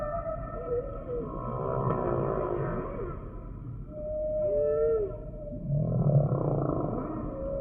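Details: A humpback whale sings a sequence of phrases: a rough pulsed moan, a smooth downward-curving whoop at four seconds, a short higher chirp, then another buzzing groan, over a persistent low underwater drone.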